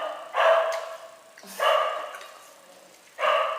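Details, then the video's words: Puzz, a talking cat, gives three drawn-out, open meows, each lasting close to a second and spaced about 1.5 seconds apart; the second rises from a low start into a full, harmonic-rich tone. "PUZZ the TALKING CAT"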